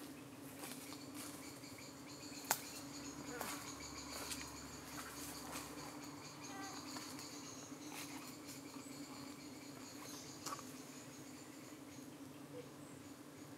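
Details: Honey bees at a UK hive on an evening when parasitic-looking flies were darting in and trying to settle on them, the bees defending themselves. A steady, low droning hum holds throughout, with scattered faint ticks and brief higher buzzes.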